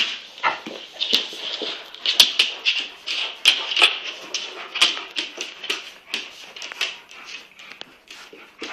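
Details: Playful Kangal pair, a huge eight-month-old puppy and a half-sized cross Kangal, keep up a dense run of high whimpers, squeaks and grunting play noises, roughly one a second, with no pauses throughout.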